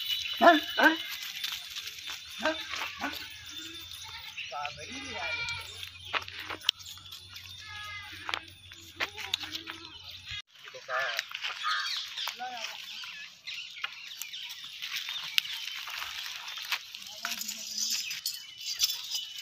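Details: Sirohi Barbari goats bleating: a few short, wavering bleats in the middle of the clip, mixed with a man talking, scattered knocks and a steady low hum.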